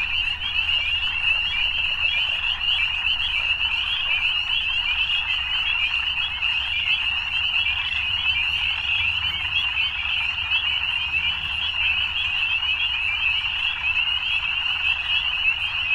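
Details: Evening frog chorus: many frogs trilling together in a continuous, shimmering high-pitched wall of sound with no pauses, steady in loudness from start to end, over a soft low background hum.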